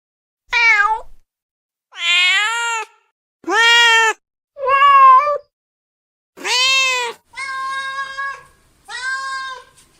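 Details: Domestic cats meowing, a compilation of separate meows: seven harmonic, slightly arching calls about a second long each, spaced by short silences, some higher and brighter, others lower and steadier.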